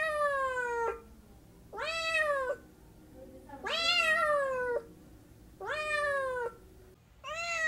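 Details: Domestic cat meowing in four drawn, falling cries of nearly a second each, separated by short gaps, tonal and harmonic, with a low steady background hum between calls.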